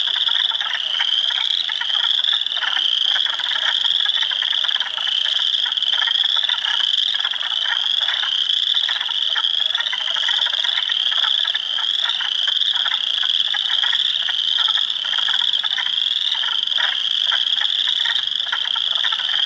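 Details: A swamp at Heartland Forest, Ontario, on April 2, 2022, filled with hundreds of spring frogs, including Spring Peepers, Wood Frogs and Eastern Chorus Frogs. A constant high-pitched peeping drone runs throughout, with many overlapping pulsed, creaking trills beneath.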